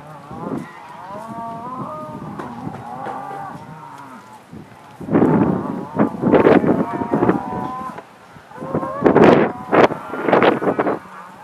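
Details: Black Angus cattle released onto spring pasture on a northeast Kansas farm, 2015; a long wavering moo opens, followed by bursts of loud overlapping bellowing from the herd with clattering sounds.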